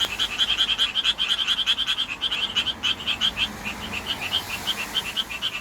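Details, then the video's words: Japanese tree frog in the city calling to attract a mate, vocal sac inflating and deflating; quick series of sharp, raspy chirps, dense at first, then slightly more spaced, over a low background hum. "청개구리 목 터져라 구애"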